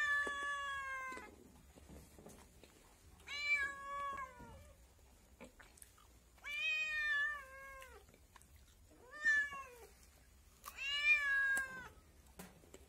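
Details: Five plaintive kitten meows, roughly every two to three seconds, each lasting around a second with a bright, harmonic tone that dips at the end; a quiet room otherwise.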